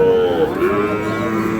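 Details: Sahiwal bull calf at Ambari cattle market, Parbatipur, Dinajpur, held Fridays and Mondays, 9 February 2026: a steady, tonal, mid-pitched moo that dips slightly partway through, over the busy murmur of the market crowd.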